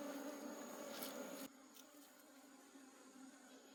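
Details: Honey bees of a wild forest colony at honey harvest time: a loud, full buzz for the first second and a half, then a softer, thinner hum continues under faint rustling.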